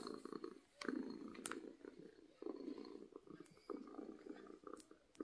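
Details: Happy domestic cat purring from contentment, a low rumbling purr in bursts broken by short pauses, with faint clicks and rustles nearby.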